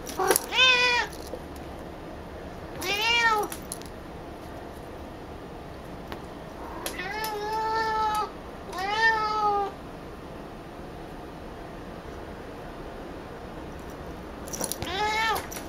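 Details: Female cat Picchi, who rarely vocalises with toys but talks a lot when she sees her ball of brushed-out cat hair, gives five drawn-out, rising-then-falling meows spaced a few seconds apart against a quiet indoor hiss.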